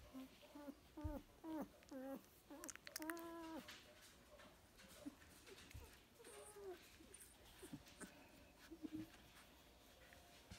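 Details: Golden Mountain Doodle puppies, two and a half weeks old, indoors, give a run of short, wavering whines with bright overtones in the first few seconds, then scattered softer squeaks over a quiet background.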